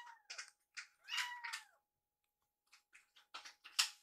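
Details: Young rescued kittens in foster care during feeding time, one nibbling at another's leftover food; several short meows with faint harmonics, a thin steady hum beneath, quiet gaps between calls.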